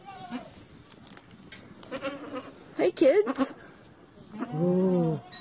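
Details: Goat bleating once near the end, a steady, slightly wavering nasal tone lasting under a second, after a stretch of human voices and background murmur.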